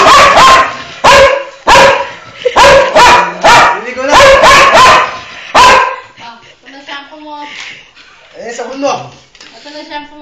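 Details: Dog that does not want to be bathed barks in loud, ringing bursts, roughly ten barks packed into six seconds at an uneven pace. Quieter whines and human voices follow as the barking stops.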